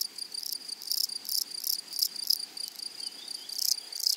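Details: Grasshoppers singing in a flowery meadow, loud and dense: rapid rasping bursts of high buzz run almost without pause, over two continuous whistle-like tones, one high and one very high, as several insects call together.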